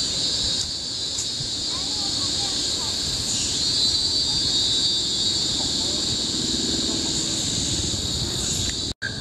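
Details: Cicadas chorus in tropical forest on Bukit Timah Hill, Singapore, in 2017: a loud, steady, high shrill of layered droning bands that fills the whole clip, with faint chirpy notes lower down and a brief cut-out near the end.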